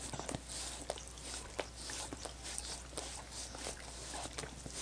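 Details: Dogs lapping at coconut water popsicles, with bursts of sticky, wet licking sounds grouped into short runs, a few sharper clicks and soft shuffling in between.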